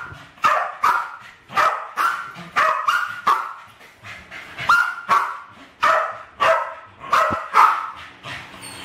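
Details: West Highland White Terriers, a pair aged about 7 and 8, attacking balloons in a home kitchen in 2012: rapid, irregular high barks in quick succession, some doubled, throughout the clip.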